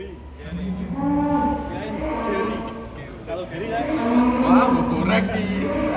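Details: A cow coming out of its pen gives a long, low, droning moo with layered tones, swelling and fading over several seconds while a man talks nearby.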